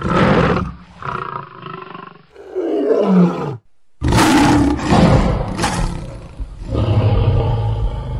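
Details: Powerful lion roars: a harsh opening blast, then a long groan sliding downward in pitch, a sudden silent gap, and renewed loud roaring that trails into a lower rumble.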